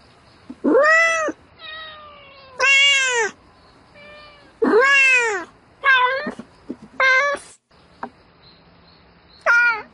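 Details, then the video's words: A domestic cat calls for a mate during the night, giving loud arched meows, long and short, with bright harmonics, some wavering or broken, spaced irregularly about every one to two seconds, a few faint softer mews between. "Tiếng mèo kêu Gọi Bạn Trong Đêm Meo Meo Từng Hồi"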